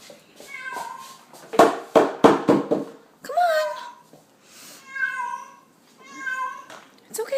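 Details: Indoors, a feral cat that climbed the window blinds gives a few clipped meows, then longer, wavering yowls. Sharp rattling knocks from the blinds and a woman's pleading voice come in between.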